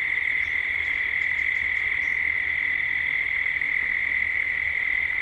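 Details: At dusk in Gippsland, Australia, cicadas fill a 3D ambient recording with a steady, ringing high drone, while a few faint, quick bird chirps sound in the first two seconds.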